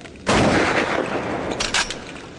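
A pistol shrimp fires its claw: a sudden sharp crack that fades into a hiss, then two quick snaps.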